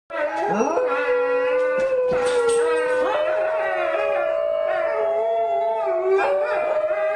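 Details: Several New Guinea singing dogs howl together, one of them being looked after: sustained harmonic howls with rich overtones, a steady main tone slowly rising with other voices sliding and wavering around it.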